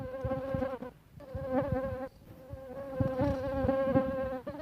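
A mosquito's thin, steady whine drones on with two brief breaks.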